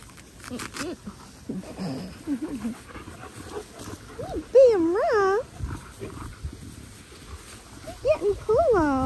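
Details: Australian cattle dog puppy Linc at paddock playtime with the big puppies, giving several arched, rising-then-falling yelping whines in quick pairs, loudest midway and again at the close, with softer low grumbles and play noises earlier.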